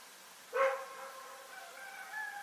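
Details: Rex, a dog in Pyrga, barking at night: one sharp, harmonic bark, followed by a fainter, steady, drawn-out tonal sound that lingers over a quiet background.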